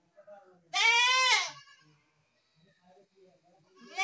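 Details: Goat bleating: one loud, wavering, harmonic-rich bleat lasting under a second, followed by faint background murmurs and a soft sound starting at the end.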